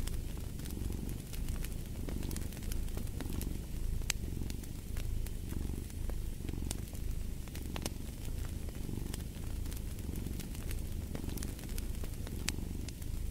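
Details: A cat purrs in a low, throbbing drone that surges with every inhale and exhale, accompanied by crisp crackling of a burning fireplace.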